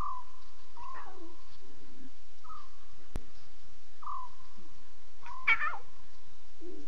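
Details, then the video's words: Lion cubs calling to each other at 02:40 at night on a live safari broadcast: short, even-pitched mewing notes, some slightly rising, given in scattered bursts, with a few rougher squeals and a faint low rumble underneath. "Here is 6 full minutes of the cubs. WOW are they talking"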